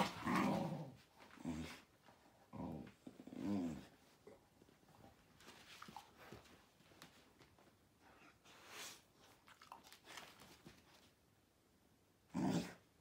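A Miniature Bull Terrier gives low, rumbling growls and grunts in short bursts indoors.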